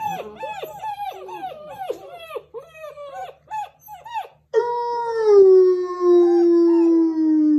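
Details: German Shepherd pups finishing breakfast on January 21, 2022, howling after a person began a howl; quick series of short arching yelping howls for about four seconds, then one long sustained howl with rich overtones slowly sliding downward.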